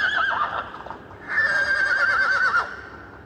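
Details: Young mare beckoning a stallion: a loud whinny with a quavering, trembling tone, briefly dipping then rising into a sustained, wobbling high neigh lasting over a second.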